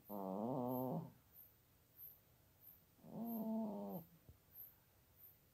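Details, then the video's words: Sleeping female house cat, almost 17 years old, snoring in her bed basket beside a computer in Toowoomba, Queensland, Australia, unamplified: two long, rough, harmonic drawn breaths about three seconds apart, with faint soft breathing between. "Cat Snores Like a Trooper!"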